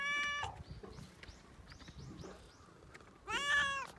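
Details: Petted cat filmed on a Japanese cat island, sneezing during the petting; a clear harmonic meow opens, faint chirpy calls follow in the middle, then a second strong, bright meow closes.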